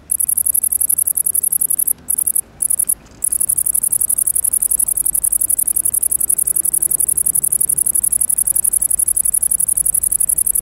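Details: Great green bush-cricket song: a continuous, very high, dry buzzing trill with brief breaks after about two seconds, then steady and unbroken to the end. No other clear sounds.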